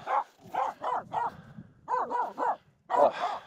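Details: Finnish Spitz Aamu, a female, barking nonstop at two reindeer walking close while crossing a snow pack on the climb up Mulen; quick clustered barks in bursts of three or four, brief pauses between groups.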